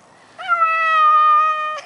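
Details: A Maine Coon cat meows once, a drawn-out level cry lasting nearly one and a half seconds, slightly wavering at the onset, then holding a flat, bright harmonic tone.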